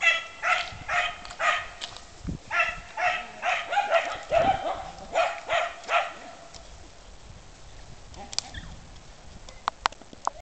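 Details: American Akita and Airedale terrier at play time in 2009; a rapid series of about a dozen short, sharp barks, roughly two per second, for six seconds, then quiet with light clicks and scuffling.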